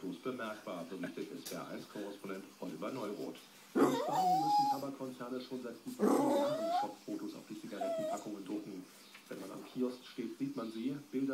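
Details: A Boston Terrier sitting at a table complains in drawn-out, whiny, rising moans, as if about to speak, over a television news broadcast talking in the background.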